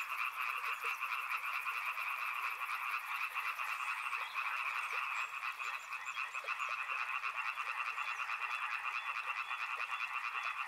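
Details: Continuous chorus of frogs by a river, layered croaking calls pulsing quickly and unevenly; a high, fast ticking buzz sits over the start, then the frog chorus carries on alone.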